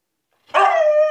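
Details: Husky named Altezza, a female kept in an enclosure as punishment, demanding freedom; a short harmonic howl swells in abruptly and holds a steady, clear tone.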